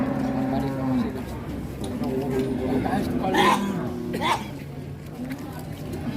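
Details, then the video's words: Huge, agitated cow arriving by truck and raging as it is unloaded at Muntilan market, Indonesia; a low, drawn-out moo lasts about three seconds over steady crowd chatter and men talking close by. "SAPI MONSTER DATANG NGAMUK TURUN DARI TRUK"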